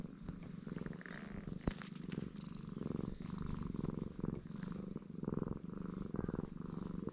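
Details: Loud, contented purring from a black stray cat being stroked, GoPro HERO8 recording; deep vibrating rumble rising and falling with each breath roughly every half second, plus soft clicks and a faint high tone in the background.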